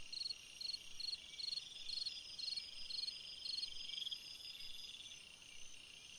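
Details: Summer-night cricket song of brisk, high, evenly spaced chirps, roughly two per second, above a constant shrill background drone of other insects.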